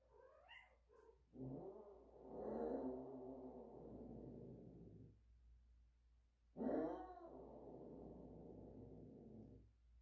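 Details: Cat in heat caterwauling: a brief rising meow, then long, loud, wailing yowls several seconds each, the second starting sharply with a strained, harsh rise before trailing off.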